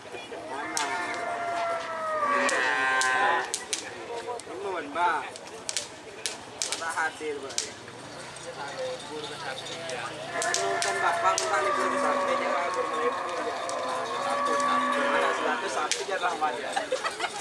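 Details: Cattle being prepared for karapan sapi, the traditional Madurese bull race, at Asemanis field on Madura, East Java, Indonesia; drawn-out wavering moos and bellows rise and fall among crowd chatter, clatter and other outdoor noise.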